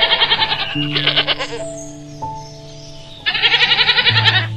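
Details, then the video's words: Goat bleating in two loud, quavering bursts, each about a second and a half long, with a quieter stretch between them and steady background music throughout. "Koala, Goat, Cow Sounds"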